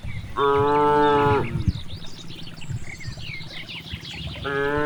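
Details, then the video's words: In a vast rice field, a grazing cow gives a steady, rich moo lasting about a second, followed by a quieter stretch of rustling and chirping birds before another moo begins. "the sound of cows"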